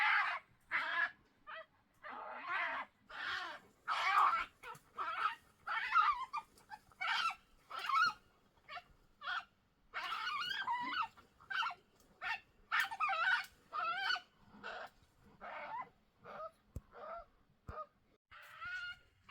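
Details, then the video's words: European badgers, two of them, fighting at Vestfossen, Norway, on June 8th, 2023: a rapid series of short, shrill, harsh squealing bursts, about thirty in all, separated by brief silences. "The sound of two badgers fighting"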